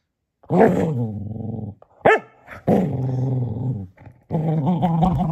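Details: Male Cocker Spaniel playing with a toy donkey before bedtime gives long rumbling play growls lasting over a second each, broken by a short high yip, with a final sustained growl.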